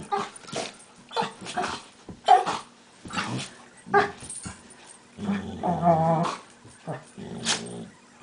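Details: Two pet dogs, Max and Leo, play fighting, with the smaller Leo making odd, almost monkey-like noises: short rough growling bursts and yelping cries come in irregular spurts, with a longer tonal whining growl near the end.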